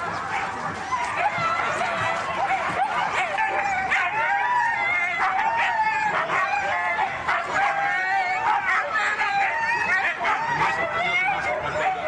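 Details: Excited Siberian huskies at a race in East Anglia, a steady wall of overlapping yips, whines and rising howls from many dogs, with faint human voices mixed into the din.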